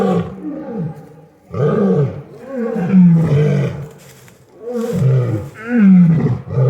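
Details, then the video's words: Lions at an exotic feline rescue roar in deep, rumbling bursts that swell and fade, one after another. "Lions making noise at the exotic feline rescue"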